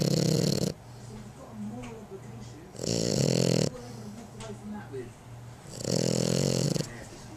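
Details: A young female French Bulldog snores in loud, rasping, low breaths about every three seconds; she stopped snoring when older.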